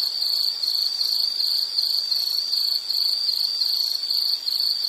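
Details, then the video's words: High, shrill insect trill in a nature recording, pulsing in bursts at roughly 160 per minute with slight pauses between phrases. Faint background hiss only. "Sound · Nature Sound of nature sounds scenery L · insect"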